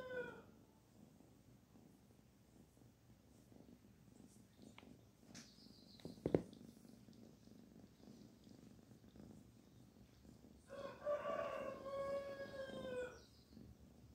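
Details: Petted kitten Barfi gives a soft, even purr of rapid low pulses. A sharp click breaks in midway, and a drawn-out tonal call with rich harmonics comes near the end.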